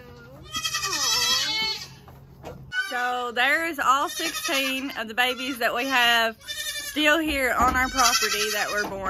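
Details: A loud crowd of kids from the 2022 kidding season, bleats rising and falling and overlapping almost without pause, some high and thin, others lower and wavering, after a quieter opening call.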